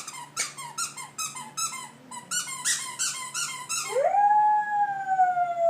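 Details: Pet dog howling while playing with a squeaky toy indoors: a rapid run of sharp squeaks from the toy, then a long howl that rises quickly and holds steady, fading slightly at the end.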